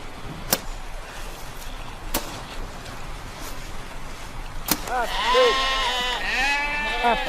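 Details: Several sheep in a herd caught by a snow storm, with shepherds digging a path through knee- to waist-deep snow to their stable; first seconds hold sharp clicks and thuds, then overlapping wavering bleats fill the last two seconds.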